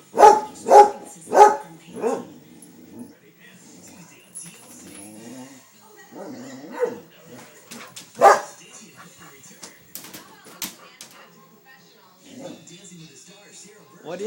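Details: Pet dog at home barking at a squirrel: four sharp, loud barks in quick succession, a single bark at about eight seconds, and softer whines and rustling between them, with a person talking to the dog.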